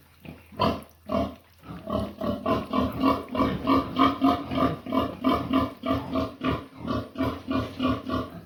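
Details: Pig calling at noon: a rapid run of short harmonic grunts, about three per second, fairly steady with small gaps, after two louder separate grunts at the start.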